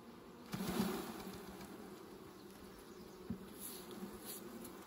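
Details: Low droning hum of bees at a honey harvest, steady throughout, with a couple of brief thumps from handling.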